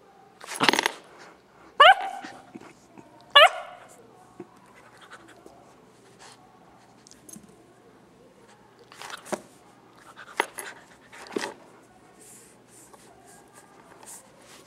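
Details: Nine-week-old gray female Newfoundland puppy, lying down while playing with a ball, gives three short, sharp yipping barks with rising harmonics in the first four seconds, followed by softer scattered clicks and knocks.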